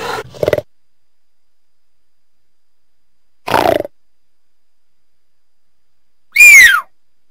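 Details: Cougar giving two short rough bursts, then after a gap a loud, clear whistled call that slides downward and lasts under half a second. Long silences between the sounds.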